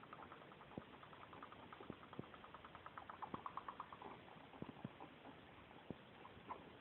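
A guinea pig gives quick runs of soft, buzzy squeaks that pulse in tight series. Sharp isolated clicks break in now and then over a low background hum.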